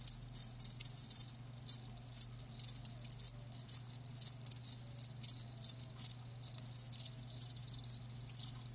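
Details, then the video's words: Crickets kept live, chirping densely: rapid high-pitched pulses overlapping from several insects, nearly continuous with only short pauses, and a low constant hum underneath. "Live Crickets 60min "Natural Sound" ASMR"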